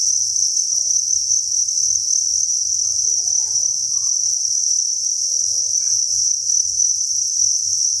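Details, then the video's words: Dense chorus of farmed crickets, thousands housed together in a breeding facility, giving a constant piercing high trill, with scattered faint clicks and soft low thumps underneath. "Cricket Chirping Sound"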